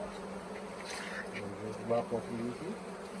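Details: Swarming honey bees at the Tamarind Tree Hotel, caught late in the year into a nuc box; a loud, steady hum with a slight swell near the middle of the clip.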